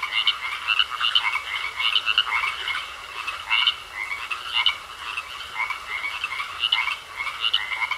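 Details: A pond full of croaking frogs, bursts of harsh rattling calls about every half second, layered from several callers, with a thin steady tone underneath.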